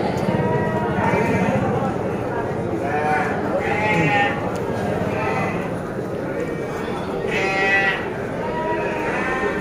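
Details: White Garut sheep at Tanjungsari livestock market, several bleating in turn: quavering, nasal bleats every second or two, layered over market chatter and a man's voice.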